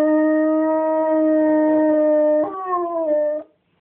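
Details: An English Springer Spaniel "sings" when his owner prompts him, giving a long, steady, mid-pitched howl that breaks and slides downward at the end.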